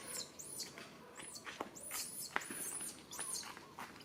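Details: Baby monkey calling its mother for help: shrill, arching squeals, each rising then falling, repeated roughly every half second, with soft clicks and rustling behind.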